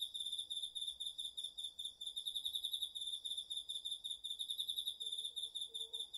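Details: Garden insects of autumn, including crickets, singing at night in Japan, recorded with a DR-40X; a continuous, evenly pulsed high trill runs throughout with a faint lower hum beneath.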